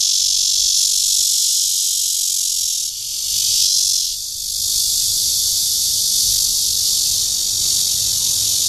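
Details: Cryptotympana holsti cicada giving its courtship call in Guangming Park, Zhongli, Taiwan: a loud, continuous, high, hissing drone that swells and dips slightly in intensity with a brief softening midway.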